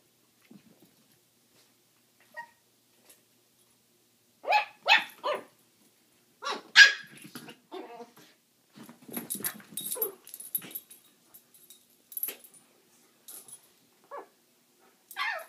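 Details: Pyper, a tiny Yorkshire Terrier puppy, squares off with Looey, an adult Schnauzer, while stealing his bone; sharp high yaps and snarling barks come in bursts with quiet gaps, plus some growling.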